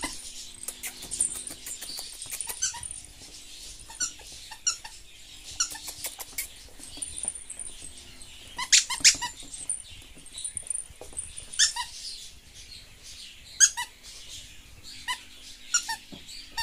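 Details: Maltese terrier puppies, a steady stream of thin, high squeaks and yips in quick irregular bursts, several overlapping, clustered most densely in the middle and again toward the end.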